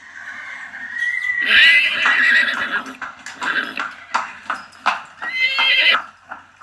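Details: A long horse whinny rises in pitch and then breaks into a rapid, trembling series of pulsed nickers, roughly three per second, ending with another high quavering neigh.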